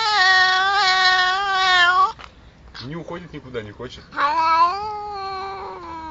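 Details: Drawn-out, wavering cat yowls, loud and strongly tonal. A short stretch of quieter rapid sounds comes between two long wails.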